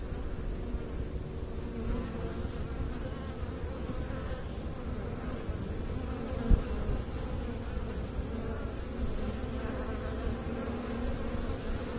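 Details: A sustained, deep humming of bees, steady and textured with faint overtone bands throughout, broken only by one sharp click about halfway through.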